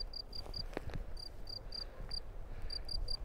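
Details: Close stereo recording of a burrow-dwelling field cricket in the Drôme, taken while the recordist creeps closer before it falls silent. Sharp, high chirps in brief clusters separated by gaps, with soft low rumble and faint knocks underneath.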